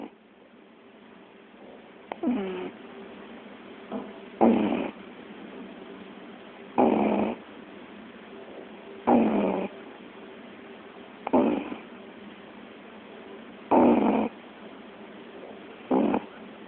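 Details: Sleeping puppy snoring indoors: seven rough, breathy bursts each lasting about half a second, spaced roughly every two and a half seconds, with quiet low hiss between them and no other sounds.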